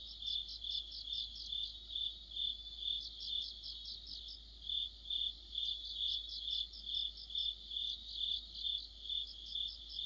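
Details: Autumn chorus of crickets and other insects: a steady high, ringing trill overlaid by pulsed chirps repeating about twice a second, with fainter higher overtones and a soft low background hum.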